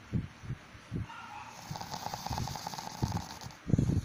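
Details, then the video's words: A pug snoring while asleep: rough, low snorting pulses come in quick bursts, roughly two per second, with short pauses between groups and a louder, longer rasp at the very end. "Dog Snoring/funny pug video"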